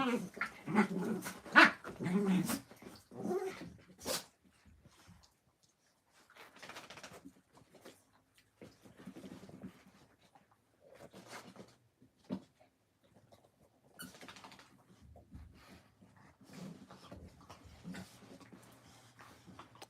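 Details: Puppies at play give a cluster of sharp, loud yips and barks over the first four seconds, then scattered softer bursts and rustles with quiet gaps, with faint human voices at times.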